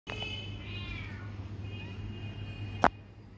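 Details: Bengal cat kittens giving thin, high-pitched mews, two drawn-out wavering calls about a second apart, over a steady low hum, with a sharp click near the end.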